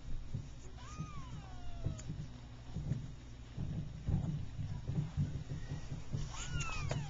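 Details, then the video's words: Persian kittens three weeks old at play give two thin, arching meows, one early and one near the end, while a person talks softly in the background over a low hum. "Persian Kittens 3wks old"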